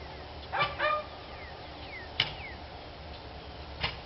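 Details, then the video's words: Dogs barking, recorded 29 March 2013: two short harmonic barks close together early on, followed by a few sharp clicks and faint chirps over a steady background hiss. "Barking Dogs"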